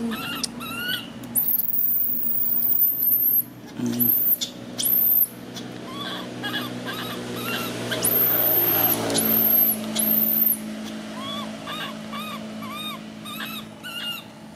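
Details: Baby monkey screaming: long, extremely high-pitched shrieks come in bursts, broken by brief pauses, followed by a string of quick arched whimpers, with a human voice and background hum.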